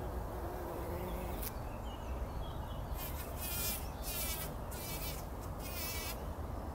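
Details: Early-morning bumblebees wallowing in poppy pollen before sunrise in 2019; a dense low buzzing persists, overlaid in the second half by a series of rapid crackling, rustling bursts.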